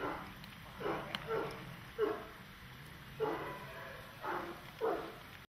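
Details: Dog in protection training, a German Shepherd or Malinois, giving muffled barks, roughly one each second, six bursts in all over a steady background hiss.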